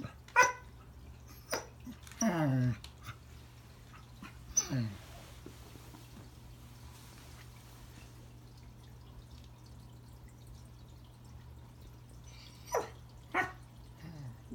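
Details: Pembroke Welsh Corgi named Remington trying to say hello to a new friend under the Christmas tree; a few scattered barks and a whiny yelp indoors, then a long quiet stretch before two more short barks.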